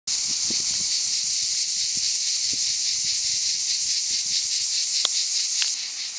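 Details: Cicadas singing in summer in the Aude, southern France: a dense, continuous buzzing chorus, steady and unbroken, with faint low rustling beneath.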